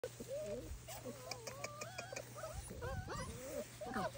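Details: Several Bernese Mountain Dog puppies whimper together in high, wavering squeaks and short yips.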